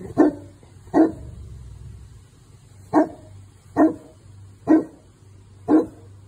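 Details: Newfoundland dog guarding his property against an arriving delivery truck: six deep, single barks spaced roughly one second apart, steady and evenly loud over a low background hum.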